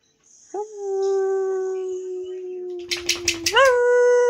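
A Harzer Fuchs crossbreed dog gives a long, steady mid-pitched howl in answer to another dog's howling.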